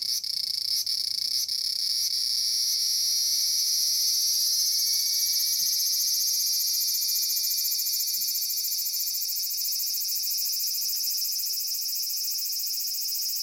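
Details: Noisy large brown cicada (Graptopsaltria nigrofuscata, Aburazemi) on a persimmon tree in Japan: pulsed sizzling at first, then settling into an unbroken, steady high hissing buzz that slightly rises in pitch and holds to the end.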